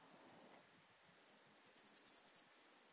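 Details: Podismopsis keisti recorded at Wildhaus, Switzerland, 7 October 2022: one isolated click, then a run of about eleven high, dry rasping pulses growing louder toward the end, with near silence around them.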